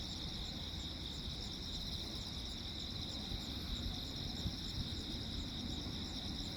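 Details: Night chorus of crickets on Jeju Island, South Korea, 15 August 2024, while lightning flashes nonstop; continuous shrill pulsing trills layered over dense low-pitched rumble, with a few louder bumps midway.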